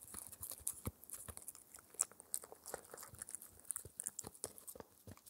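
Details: Shetland Sheepdog puppy, four months old, gnawing a raw air-dried ear as a daily dental treat indoors; rapid, uneven crackling bites and crunchy snaps fill the stretch, with dense clusters of clicks and no voices.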